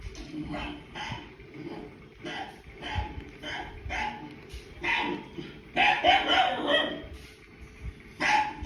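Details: Dog named Leo reacting to a barking sound on TV, giving short barks and yips in irregular bursts, several rapid ones near the end, with a steady low hum behind.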